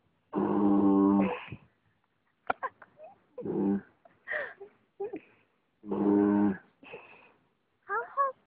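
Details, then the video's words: Willow, a young female dog, fast asleep and snoring: two long, low, buzzy snores of about a second each, roughly five seconds apart, with short human voice sounds in between. "willow snoring"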